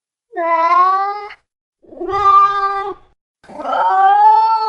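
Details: Domestic cat meowing: three drawn-out, harmonic-rich meows about a second each, the last rising slightly and ending higher, with brief silences between them.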